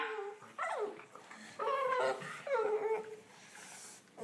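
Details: Ten-week-old Olde English Bulldogge puppies playing indoors, trading whiny yelps and small growls in three bursts, each rising then sliding down, separated by brief pauses.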